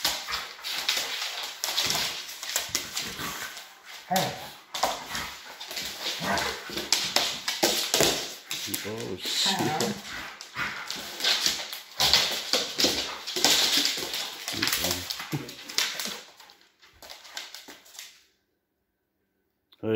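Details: Doberman and Rottweiler dogs in a confrontation, continuous harsh barking, growls and whimpers over human voices, fading to silence near the end.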